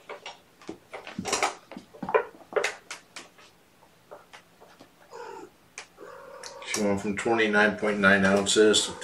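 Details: Sleepy kittens waking from a nap on weigh-in night, 16 June 2018, indoors in a small room: harmonic mewing rises to a loud run of drawn-out, wavering meows near the end, over and between a person's talking.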